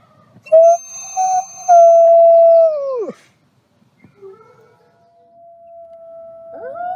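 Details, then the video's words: Wolf howling in short bursts: two brief level notes, then a longer steady tone that bends sharply downward, a quiet pause, and a faint thin tone ending with a rising note. "WOLF SOUNDS! What is the sound of wolf?"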